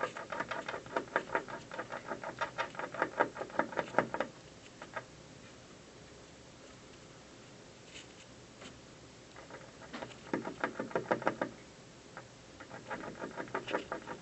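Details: Squirrel chewing an office building from the windowsill one afternoon, heard in bursts: a long run of fast scraping bites, several quiet seconds with faint taps, then two more rasping chewing bouts.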